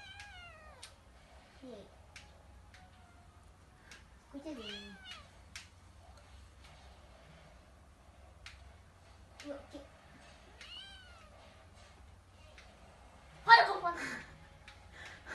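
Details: Pet cats indoors, a kitten pestering the sleeping cat Hideyoshi to get back at him: a run of clear, sliding, downward meows at irregular intervals, then one loud, harsh, drawn-out cry near the end, with quiet human talk.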